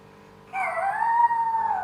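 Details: Small pet dog that likes to 'sing', howling along as people sing a Thai pop song; one drawn-out tonal howl that slides up, then holds a steady, slightly wavering pitch for over a second, clear and loud above faint background.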